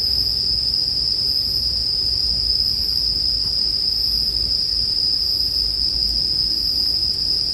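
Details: Bell crickets calling, mixed with campfire sounds for sleep ambience: a steady, unbroken high ringing tone that holds without pause, over a soft low rumble and faint fire crackle.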